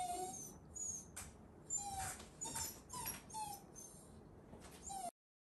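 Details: Ranmaru the Shiba Inu whining from behind a fence at visitors during a meeting; a series of brief, high, falling whistle-like whimpers comes roughly every second, with light shuffling noises in a quiet room.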